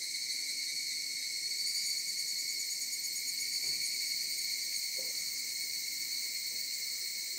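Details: Cicadas singing from a mountainside: a steady, unbroken high-pitched drone with layered buzzing tones that holds at an even loudness throughout, with no other clear sounds.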